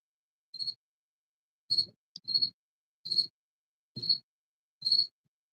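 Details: A cricket that crawled under a paint rack indoors chirps loudly, with short pure-toned pulses repeated roughly once a second.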